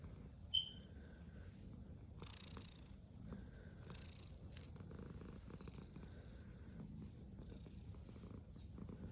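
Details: Black cat purring while it eats: a soft, low, rough purr runs steadily throughout, broken by small clicks and chewing noises and a few sharp high ticks.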